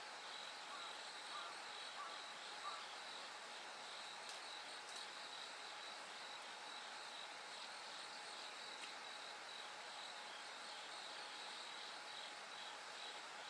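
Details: Night-time bell cricket chorus as dawn approaches: continuous pulsed high-pitched ringing, joined by a few sharp clicks and faint distant voices.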